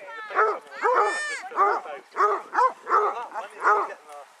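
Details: A pack of 18 Basset Hounds on a walk round Belwade Farm, Dess, Aboyne, Scotland, on 10 August 2014: a rapid series of about eight loud, harmonic, arching bays in quick succession.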